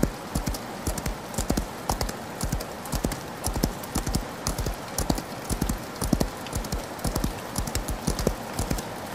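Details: A horse gallops through rain; grouped hoof strikes land in a loping three-beat rhythm, heavy and low, while rain hisses evenly across the whole stretch.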